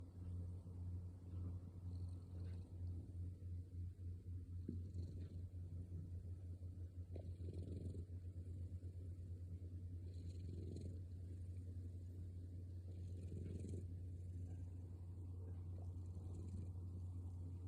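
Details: Sherry, a male orange tabby cat, snores noisily on a peaceful night; soft rasping breaths swell every few seconds over a steady low hum that runs through the whole recording.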